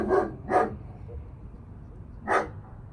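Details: Oakley, a 10-month-old German Shepherd in obedience training for recall and sit: three short, sharp barks, two close together and then one after a pause, over a low steady background hum.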